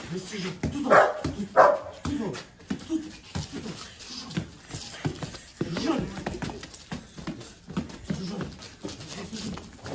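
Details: Golden Retriever, the owner's own dog, in guard training for personal security and showing no aggression toward strangers, gives two loud, sharp barks close together near the start, with a person talking throughout.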